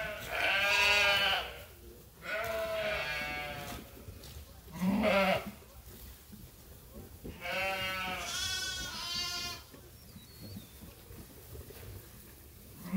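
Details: Sheep at Ewetopia Farms calling as they await feed during lambing season: a series of loud, quavering bleats, some higher-pitched like lambs, spaced a few seconds apart, with a low background hum and farmyard noise.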